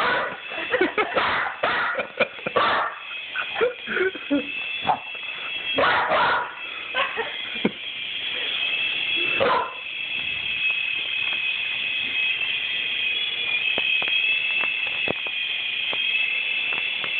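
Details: Rusty, a pet dog, barking at a toy helicopter: sharp, repeated barks through the first ten seconds over the toy's steady high mechanical whine, which then continues alone.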